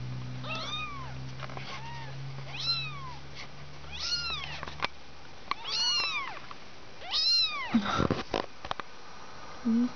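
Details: Five two-week-old kittens, littermates, calling repeatedly with thin, high, arched mews, several in close succession at roughly one-second intervals, each with a rising then falling pitch; low music hum fades early and soft handling noises follow.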